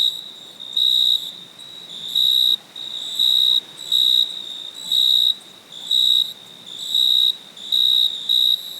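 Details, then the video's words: Night crickets sing in bright, high trilled pulses of about half a second. They repeat around once a second, with softer overlapping chirps between them, over a quiet hissing background. "Cricket chirping sound"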